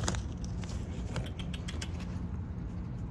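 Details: Steady low vehicle rumble with a constant hum, broken by light jangling and clicking sounds; no animal voice.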